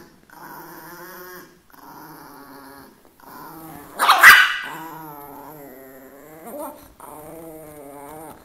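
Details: Chihuahua in a funny dog compilation, growling steadily in tonal, droning phrases about a second and a half long separated by brief pauses, with a sharp louder burst near the middle and a short rise toward the end.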